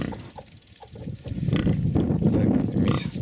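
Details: Hungarian Mangalica sow with her suckling piglets: low, dense grunting that builds from a quiet start into a steady rumbling run of pulses, with faint higher squeaks near the end.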